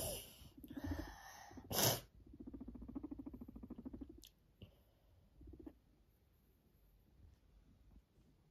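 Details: A pet Sheltie guinea pig purrs in a low, rapid, fluttering rumble, with a few sharp bursts of noise nearby.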